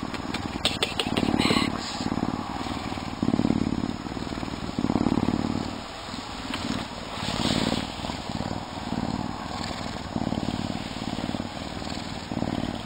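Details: Max, a Canada lynx animal ambassador, purrs in a deep, steady rumble that swells and fades with each breath, recorded as a storm was coming.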